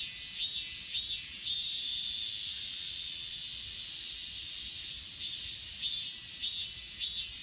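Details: Achasan mountain grass insects, recorded with an S20 Ultra phone, give paired high chirps at the start and end, about two per second, above a continuous piercing background trill.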